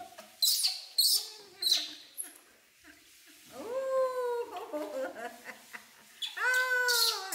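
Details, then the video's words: Infant monkey Poy cries while being bathed alongside baby monkey Nita, refusing the bath: shrill, wavering harmonic wails, some falling in pitch, come in bursts between sharp splashes of water. "Monkey Baby Poy Crying Not Want To Bathed"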